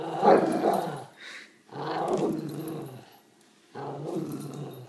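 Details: An Italian Greyhound gives rough, rumbling growls in bursts of about a second, with short pauses between, during play (tug, told to let go).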